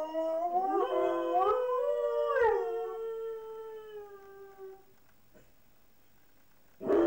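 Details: Pet dogs Mouse and Fox, left alone indoors while the owners shop, recorded on a Hi8 camera; rising yelps swell into a long howl that slowly sinks and fades, followed by near silence and a sudden loud burst at the end.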